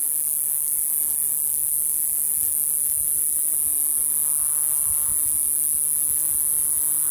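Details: In June in Ruch, Oregon, a male cicada on a Pacific Madrone tree gives a steady, very high-pitched buzzing song to attract females.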